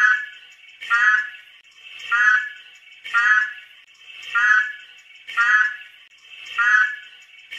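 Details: Pacman frog, also called South American horned frog: harsh, buzzy, pulsed croaks with rich harmonics, each about half a second long, repeated roughly every 1.2 seconds over a steady high-pitched background drone.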